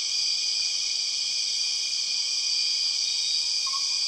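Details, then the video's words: Empress cicadas drone loudly and continuously in Borneo rainforest, a shrill multi-banded hum; near the end a short faint lower whistle appears. "The weird sound of empress cicadas"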